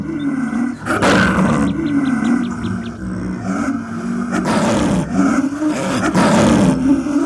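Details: Wild snow leopard of the high mountains giving long, wavering, tonal moaning calls, sustained and slightly rising and falling, punctuated by three harsh breathy bursts.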